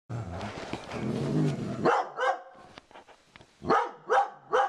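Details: Dobermann guarding her owner against a cow skull hung on a living-room wall, giving a long low growl for nearly two seconds, then several sharp barks in quick succession.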